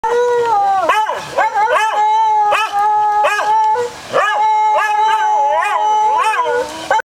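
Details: Beagles howl together in long, wavering tones that swoop down and rise again.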